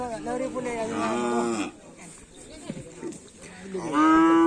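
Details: Cattle of a karapan sapi racing team at a gathering: a strong, drawn-out moo that fades, a quieter stretch of low grunts and voices, then another loud moo beginning.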